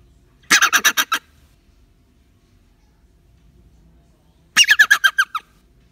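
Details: Startled dassie, a rock hyrax kept in a container with apple before release, moaning after a fright: two harsh, grating bursts of six or seven rapid pulses, about four seconds apart, with near silence between.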